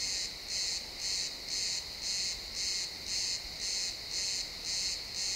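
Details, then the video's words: Evening chorus of crickets in a pine forest at sunset, XY stereo recording: bright, rasping high chirps pulsing evenly about twice per second, ten in a row, against a soft background hiss. "Cricket sounds in the pine forest"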